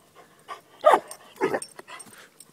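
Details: Two seven-month-old Newfoundland-Labrador mix puppy brothers playing outside; two short, gruff bark-like bursts close together, with fainter huffs and panting around them and a person calling out nearby.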